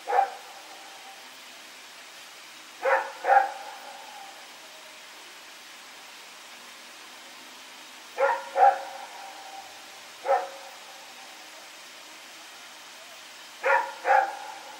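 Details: Dog named Rex barking at night while running around, recorded September 21, 2018; short sharp barks, often in close pairs, spaced a few seconds apart over a quiet background hiss.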